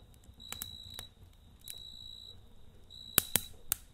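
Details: Night-time cricket by a campfire, giving short high-pitched trilled bursts separated by pauses, while a few loud wood-fire snaps crack near the end.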